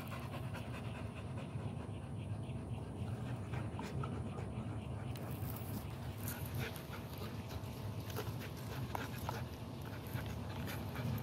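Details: An American Pit Bull Terrier pants continuously, with fast, rough, airy breaths running evenly throughout, set over strong low-pitched background rumble.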